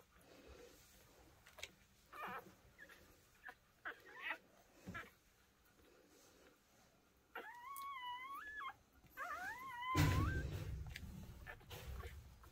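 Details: Micro American Bully with merle coat, puppy-type dog giving long wavering whines around seven to nine seconds, rising and falling in pitch, preceded by scattered soft clicks and followed by a loud low thump.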